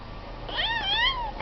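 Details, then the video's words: House cat answering its owner in conversation with one long, wavering meow that rises and then slowly falls over about a second, rich in harmonics, with faint room noise around it. "My Talking cat"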